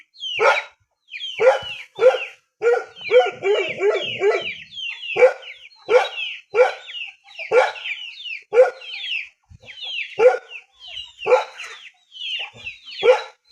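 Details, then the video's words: A dog in the countryside barks steadily, with short harsh yelps coming roughly once a second and a quick cluster in the middle. Thin high chirps from small birds or chicks run underneath. "Sound of poor dog in rural"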